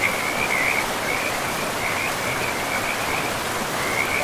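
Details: Short high trills from frogs beside a river deep in a pristine forest, repeating in loose bursts every half second or so, set against constant rushing water.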